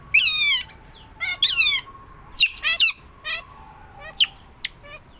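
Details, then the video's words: Pet otter, tame and up close, uttering shrill chirps: two loud descending squeals, then quicker, fainter sharp chirps, over a faint steady hum. "suara berang berang"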